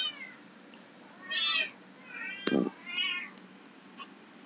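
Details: Persian and domestic medium hair kittens for adoption, abandoned and described as friendly and playful: two short high meows spaced about two seconds apart, with a sharp knock between them and a quiet room behind.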